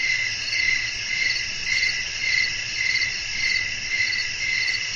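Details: Chirping crickets in nighttime nature ambience with wind, shrill layered trilling held without pause, its loudness rising and falling in steady pulses close to two per second.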